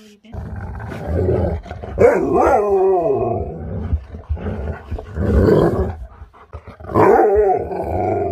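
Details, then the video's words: Siberian Huskies that can't wait to get outside and play howl and grumble in three long wavering bursts, pitch bending up and down, over steady low rumbling background. "Husky's can't wait to get outside and Play!"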